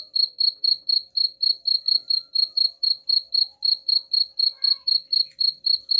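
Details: Rat-repelling cricket chirps run throughout: crisp, regular high-pitched pulses at about four per second, with only a faint hum beneath.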